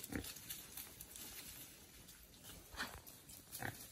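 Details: Small wild boar released into the wild to forage gives three brief squeaky grunts spaced over a few seconds, set in a steady hiss of outdoor background noise.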